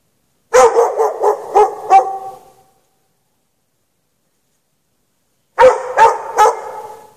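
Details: Chained dog left out in the snow for hours at night with no shelter, barking in rapid runs of five barks, a long silent gap, then three more, each bark echoing briefly afterward.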